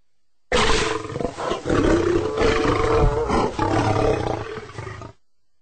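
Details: Lion roaring loudly in one sustained, raspy outburst of about four and a half seconds, deep and grating with wavering pulses, ending abruptly.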